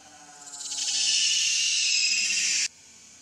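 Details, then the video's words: One sustained, piercing cry from baby monkey Leo begging its mother for milk, swelling in loudness over the first second, holding steady, then cutting off abruptly. "Very Pitiful Leo Crying Angry Mom Because Need Much Milk I So Lovely Baby Monkey."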